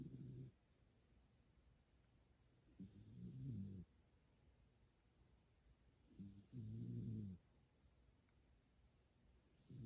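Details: Kuma-tan, a house cat, fast asleep next to someone gaming, giving human-like 'goo-goo' snores; deep rough bursts of about a second, recurring roughly every three seconds in a quiet room.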